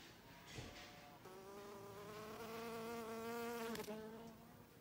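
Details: Leafcutter bee cutting a piece from a rose leaf outside a kitchen; a steady, low buzzing hum starts abruptly, rises slightly in pitch and loudness over about three seconds, then breaks off, with a few faint clicks.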